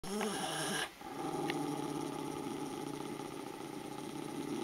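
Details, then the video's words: Miniature schnauzer choking on a growl: a short, rough, harmonic growl lasting under a second, followed by a broad, steady hiss of background noise. "miniature schnauzer choking on growl"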